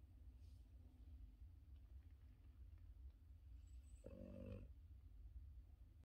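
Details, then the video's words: A male Boston Terrier, deep asleep on his back, snores softly: a low rumbling breath with one louder nasal snort. "Yoda the Boston terrier deep sleeping on his back and snoring"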